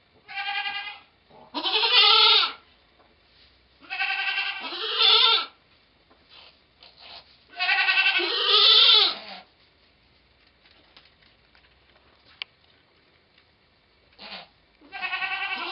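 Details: Goat in labour, delivering twins, recorded 2/11/11: a series of strained, wavering bleats, some doubled, coming in bursts about every two to four seconds, with quiet gaps and a faint short call near the end.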